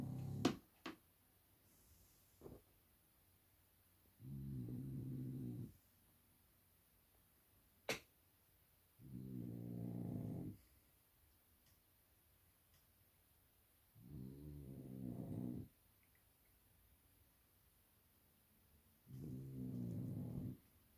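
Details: A napping blue French Bulldog, a 15-month-old male, snores in low rumbling breaths about every five seconds, each lasting over a second, with a few sharp clicks between them in a quiet room.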